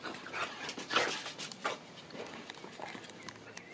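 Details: Unhappy young Boxer puppy at an SPA animal shelter in France, giving breathy, noisy panting bursts and soft whimpers, loudest near the first second, then fainter irregular puffs of breath with light background noise.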